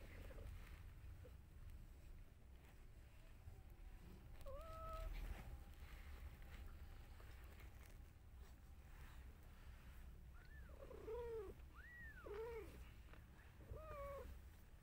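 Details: Newborn kittens being nursed by their mother cat give short, high, arched mews that rise and fall: one drawn-out cry early on, then a cluster of four quick mews toward the end, over a steady low background rumble.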